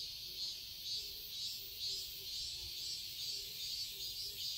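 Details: Garden cicadas in Seoul, Korea, singing through summer as a loud, high, continuous whine that pulses in gentle surges, with faint low chirping notes repeating below.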